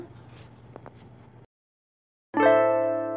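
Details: Quiet indoor room noise with a few faint clicks, then a short silence and a sustained plucked chord ringing out; no animal voice is heard.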